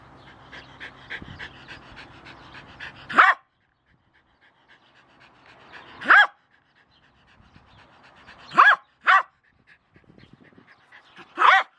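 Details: A Jack Russell Terrier called Milo with a shovel: a few isolated sharp barks several seconds apart, after an opening of panting and scraping noise.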